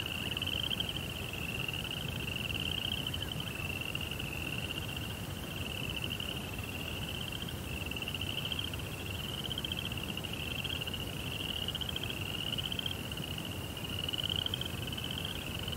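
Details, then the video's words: Nighttime crickets in a Japanese Zen rock garden beside a koi pond keep up a long, even, high-pitched pulsing chirp with small rhythmic rises in pitch, a softer lower tone, and steady low background noise. "Cricket Sounds"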